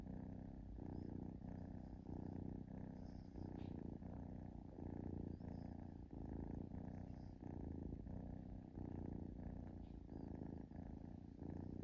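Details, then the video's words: Relaxed kitten purring steadily indoors, a low continuous rumble pulsing in even in-and-out cycles roughly every half second, unbroken throughout with no other clear sounds. "Cute Kitten Purring"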